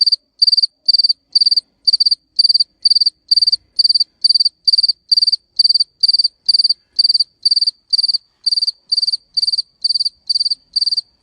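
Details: Steady cricket chirping: a long, even series of high, buzzy chirps, each of several rapid pulses, repeated a little over twice per second with clean silence between bursts and no other sounds.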